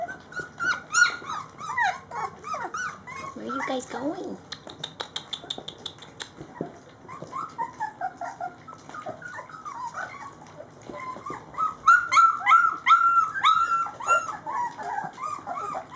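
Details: Layla's Rhodesian Ridgeback pups, three weeks old, whine during feeding time: rising and falling squeaky whimpers, a low moaning cry near four seconds, then a louder run of sharp, repeated high whines toward the end.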